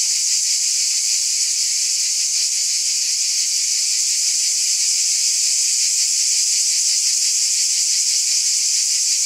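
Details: Summer-night chorus of many cicadas, a continuous shrill buzzing wall of sound with a slight shimmering throb, constant volume, nothing else audible.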